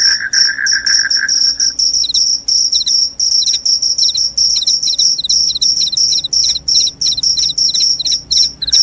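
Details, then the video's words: A short lower trill at the start gives way to rapid, evenly repeated high-pitched cricket chirps, with a faint second pulse following many of them, continuing loudly throughout. "SUARA JANGKRIK PENGUSIR TIKUS, JANGKRIK JANGKRIK SUARA NYARING BIKIN NGANTUK."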